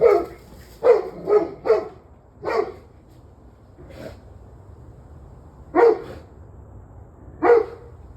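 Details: Barking dog, evening of 21 November 2023 near 7:06 pm; a rapid burst of four barks, a lone bark, a faint one, then two more widely spaced barks against low steady hum.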